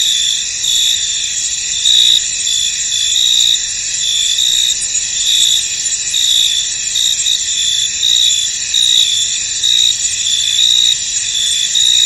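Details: Shrill cricket chorus from a fog-covered field, steady high whirring with sharper chirps recurring irregularly every second or two, the whole texture unbroken and free of other noise.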